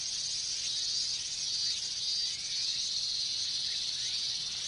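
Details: Minmin cicadas massed in a Japanese summer chorus during hot weather; an intense, high, sizzling drone with faint wavering overtones runs without pause for the whole stretch.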